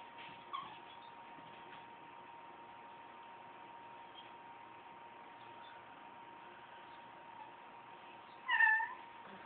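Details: Domestic cat making odd noises indoors; one brief, rising-then-falling meow near the end, with a softer chirp early on, over a steady electrical hum.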